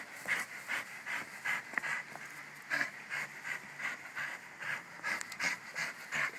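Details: Bruno, a pet Jack Russell Terrier, pants quickly and steadily, short breathy huffs coming about two or three per second in an even rhythm, each with a soft hiss, over a faint low background drone.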